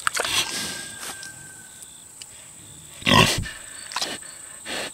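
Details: Six-year-old boar pig eating tomatoes, with brief wet smacks at the start, one strong rough grunt in the middle, then lighter chewing and a softer final grunt; a steady high hum runs underneath.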